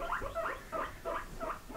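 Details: House pigs asking for grass give a run of high, tonal squeaks, each rising and falling, about three per second, in reply to a man repeatedly asking whether they want grass.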